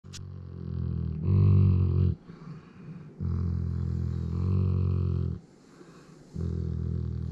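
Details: Griz, a pet Alaskan Malamute, purring indoors: deep, throaty rumbles in bursts of about one second, each separated by short quiet breaks like breaths, rough and growl-like with strong low tones.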